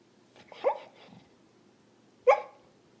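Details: Puppy yipping while dreaming, a muffled wavering yip followed by a faint low snuffle, then another sharp short yip after about one and a half seconds, quiet indoors.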